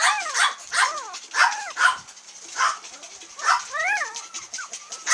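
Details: Cream female long-haired Miniature Dachshund puppy, aged 22 days, Kochi, Japan. Loud, arched, squealing whines come in bursts about every half second, with short pauses and a rising wavering cry near the end.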